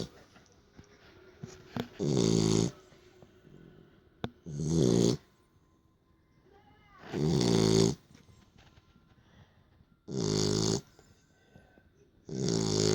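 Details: A Beagle asleep after playing snores in a small room, five loud rasping snores spaced roughly every two to three seconds, each harsh and buzzy, with quiet pauses between.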